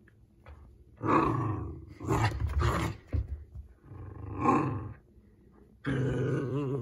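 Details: Pomsky puppy growling playfully while chewing a wash cloth indoors, in good fun; several rough, rumbling growl bursts of about a second each, with broad noisy texture and some louder, higher-pitched strained growl at the end.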